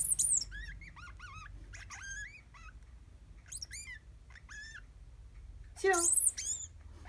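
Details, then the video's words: Pet degu calling in reply when called by its name: a series of short, bright chirps and whistled squeaks with rising and falling inflections, in bursts over about seven seconds, ending with a louder, harsher burst; faint low background hum. "デグー 鳴き声"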